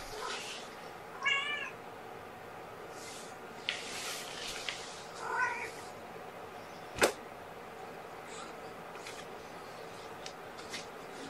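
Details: Morning feeding of young kittens, one of five born on April 14 to their mother, given powdered formula indoors on 2018-05-01. Two thin, high, quavering mews come about four seconds apart, with a sharp click and steady room hum.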